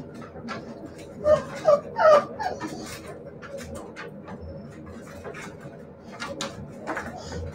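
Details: Siberian Husky puppies giving three short, tonal, whining whimpers in quick succession early on, each slightly rising then falling, followed by quieter scuffling and faint voices in a small indoor space.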